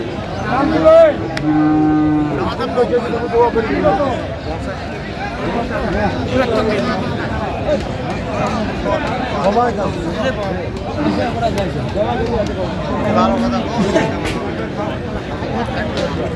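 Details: Friesian and crossbred bull calves at the Raniganj cattle market in Dinajpur, 20 December 2025; one animal gives a loud, low, drawn-out moo lasting about two seconds near the start, then dense crowd chatter and bargaining voices fill the market.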